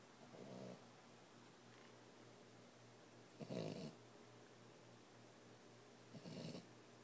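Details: Sleeping boxer puppy, 14 weeks old, snoring: soft, breathy low rumbles in three bursts about three seconds apart, each lasting under half a second, with a faint steady hum underneath and a quiet room.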